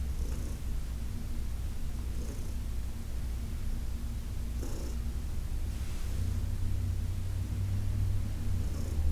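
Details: Heidi, a senior domestic cat adopted from the Humane Society of New York City, purring during a massage on August 4, 2021: a steady, deep rumbling drone, broken by a few soft rustling touches from the massaging hands.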